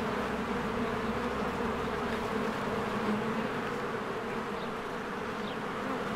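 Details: Bees fly busily around their hive in spring while flowers bloom nearby. Their unbroken buzzing drone carries a few flickering wingbeat surges, and a faint, brief bird chirp sounds near the end.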